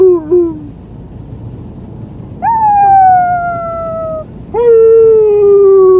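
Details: Small white female husky puppy howls on the day she arrived home: a brief falling tail of a howl, then two long sustained tones, each starting with a quick rise and slowly sinking in pitch, separated by quiet gaps.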